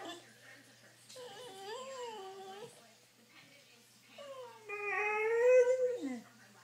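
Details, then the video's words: Pet dog Isis, eager to go for a drive, makes two long pleading whines, the first wavering and falling, the second louder and rising before dropping away, in a small room. "Dog wants to go for a drive"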